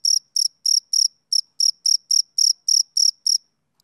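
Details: Male cricket chirps, typical of summer evenings: twelve sharp, high buzzy pulses in quick, slightly uneven succession, then the chirping stops and silence follows.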